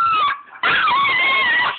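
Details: Pet husky singing along while watching a TV show, as he does every time it is on: a loud, sustained, wavering howl with a short break, then a long, steady tone that bends slightly up and down.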